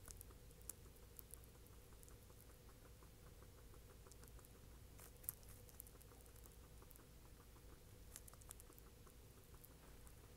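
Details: A male pet guinea pig eating banana smacks his lips, with quick, irregular clicks and wet ticks of chewing; guinea pig.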